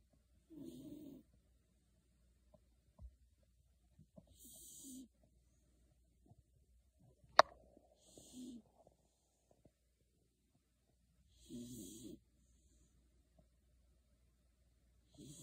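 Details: Beagle Shiloh, deep asleep beneath a kotatsu, gives wheezy snores roughly every four seconds, each a husky low rasp with a faint whistling edge, separated by near silence apart from one sharp click.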